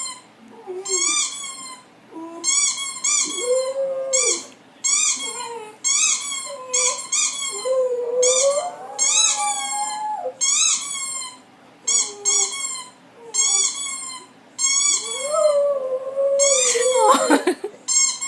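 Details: Pet dog Roxi, female, indoors and excited by a played squeaky toy sound effect, gives curving whiny howls that rise and fall between repeated shrill toy squeaks, ending in a sharp, harsh bark-like burst.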